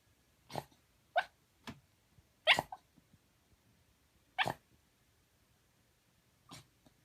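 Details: Shiba Inu dog sleep-talking, a pet kept in earlier years: scattered short muffled woofs and whines about every second or two, one louder double-noted whimper midway, a faint final murmur.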